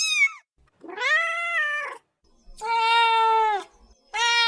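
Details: Domestic cat meowing, said to want immediate attention: long drawn-out harmonic meows, each about a second, steady then falling, with short gaps between them.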